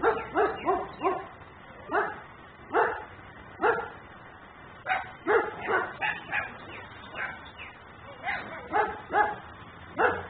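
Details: Recorded by a home camera in Mecklenburg, a dog left outside barks nonstop as a nuisance: quick runs of three or four hoarse barks, then single barks spaced about a second apart, some slightly whiny, the sound tinny and muffled.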